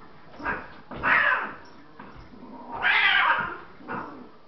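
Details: Loki attacking Catie in a fight between domestic cats, indoors: loud, harsh yowls and screeches in about four bursts, two long wailing peaks rising and falling around one second each, with short growling gaps between.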